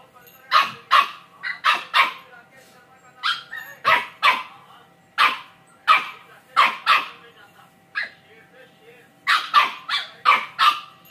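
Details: A two-month-old Samoyed puppy gives high, sharp yapping barks in quick bursts of two or three.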